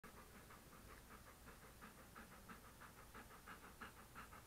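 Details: English Cream Golden Retriever male sitting beside a desk indoors while being petted, recorded close up on an action camera: quiet, rapid, breathy panting, about three pants a second, steady over a soft background hiss.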